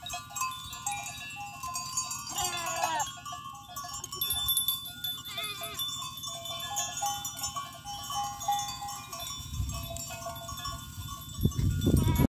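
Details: Angry big goat bleats twice in wavering, trembling bursts, the first longer, amid continuous clanging bell-like tones, with a few dull thumps and knocks near the end.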